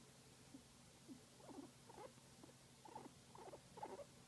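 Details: Domestic guinea pig being massaged, giving short bursts of soft rumbling chirps, several per second, growing a little louder toward the end, over a quiet low steady hum.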